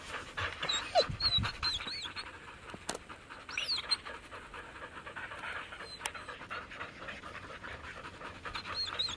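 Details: Samoyeds cooling down on a break from a 14-mile carting run in Minnesota, warm 44F day; steady rapid panting near four breaths a second, with scattered high squeaky whines and a sharp click around three seconds.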